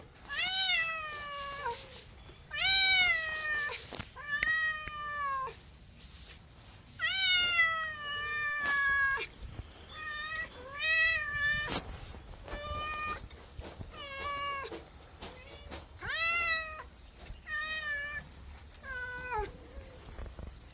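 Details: Domestic cat meowing continuously over twenty seconds, many meows of varied length, some long and wavering, later ones shorter and quicker in succession, faint clicks between them.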